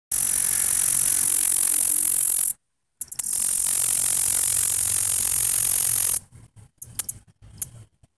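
A katydid sings a continuous, very high, hissing buzz that cuts off abruptly between bursts.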